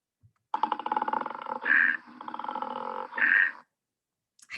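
A koala bellows: a rapid, snoring, pig-like grunting broken by two louder, tonal belching bursts.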